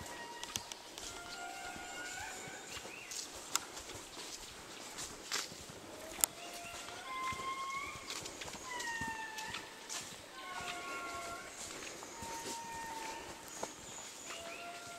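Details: In Madagascar, indris wail in eerie, sliding tones, several voices overlapping in rising and falling swoops.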